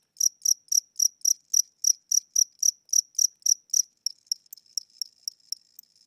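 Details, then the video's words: A tired old cricket in a home at night, wings said to be weakening, produces full high chirps about four per second, then switches to thin, clipped ticks over the last two seconds. "Cricket Chirping Sounds: Low Battery"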